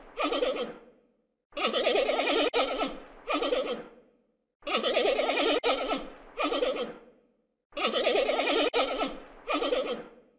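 A giant panda bleats in wavering, goat-like bursts, a long cry followed by a shorter one, the pair repeating about every three seconds.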